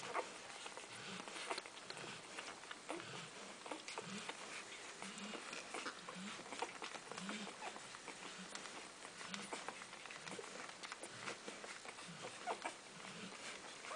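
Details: Golden Retriever puppies in their first week of life, nursing, make soft, low grunts over a constant wet, clicking suckling patter.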